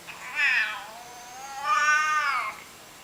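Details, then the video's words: Domestic cat making weird noises: two drawn-out, arching meows about a second apart, the second longer and more tonal, rising then falling, over a quiet indoor background. "Weird Cat Noises"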